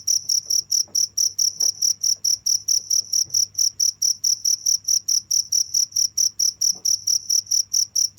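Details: Steady high-pitched cricket chirps pulsing about four times a second without stopping, over a low hum with a few faint knocks.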